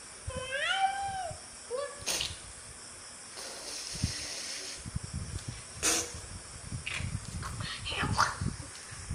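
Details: Cat playing with a frog, with a short rising-falling meow at the start and a brief second mew just after. Scuffling, sharp clicks and handling noise follow.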